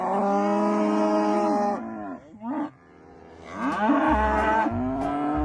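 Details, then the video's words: Cattle give a long, steady, deep moo, then a short break and a second wavering bellow, with faint music beneath. "SOM DOS BOIS"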